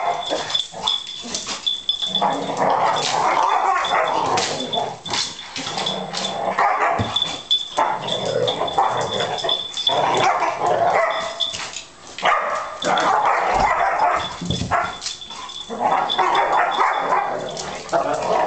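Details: Two Labrador Retrievers fighting, recorded 26 December; rough, rapid barks and snarling growls come in dense bursts with short pauses, a steady high whine running underneath throughout.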